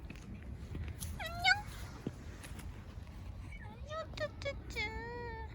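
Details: Cat met on a walk outdoors, climbing onto a person's lap for warmth. Several rising, tonal meows: one near the start, then a short series of upturned calls, ending with a longer, level meow. A woman greets it softly in Korean.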